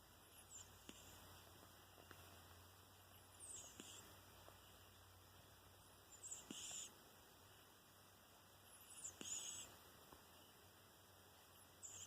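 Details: Seven-month-old kitten named Ruairí with a slightly deviated septum, snoring softly: breathy, whistling bursts recur about every three seconds, each with a thin high squeak, over a steady low background hum.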